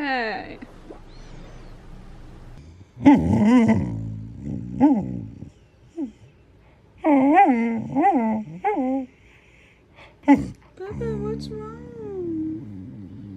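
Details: Aria, a sassy female pet Samoyed, in a talkative back-talk moment: drawn-out yowling moans with strong rising and falling harmonics in several bursts separated by pauses, amid a person's speech and brief music.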